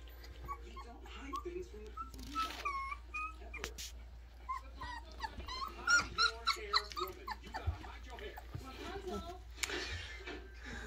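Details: Playing Alaskan Malamute puppies give scattered whimpers and short yips, thin arched cries in brief irregular bursts, mixed with a person talking and rustling household noise.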